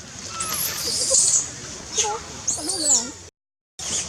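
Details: Hungry wild baby monkey Lizza at Angkor Park calls for its mother with shrill, very high squealing cries in two bursts, mixed with lower wavering voices and a brief gap of silence.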